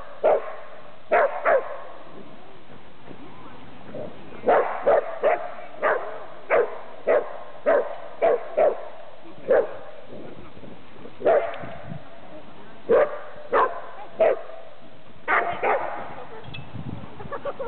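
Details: Buddy the Wonder Dachshund greeting Cooper, a Wheaton Terrier/Giant Schnauzer mix, at Seattle's Golden Gardens park; steady series of short, loud barks, roughly one or two per second with brief pauses, across the whole stretch, faint outdoor background.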